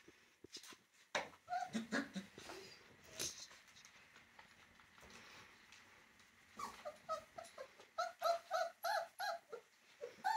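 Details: Puppies playing indoors give a few scattered squeaks early on, then a fast run of short, high whimpering yelps, several per second, from about six seconds to the end.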